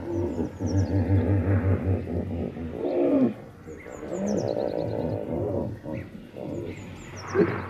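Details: Hippopotamus bellowing in deep, rhythmic, throbbing honks that rise and fall over several seconds, with a lower grumbling phrase midway, while high thin bird chirps sound faintly in the background.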